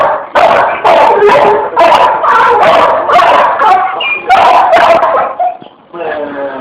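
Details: A Pit Bull playing with an electric fan, barking loudly and rapidly, about two barks per second, with harsh repeated yaps and a whining tail at the end.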